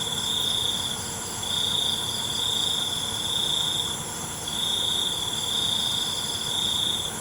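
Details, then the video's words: Crickets at night: a high, steady trill sounding in long bursts of about one to two seconds with brief pauses between, over a constant thin hiss of further high insect tones. "ALUNAN CENGKERIK MALAM"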